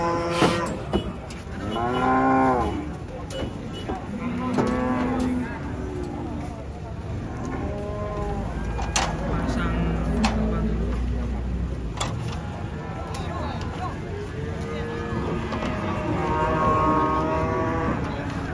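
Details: Lively cattle market where cattle have just come off the first truck: repeated deep moos, several overlapping and rising then falling, about every few seconds throughout. Background voices and vehicle rumble.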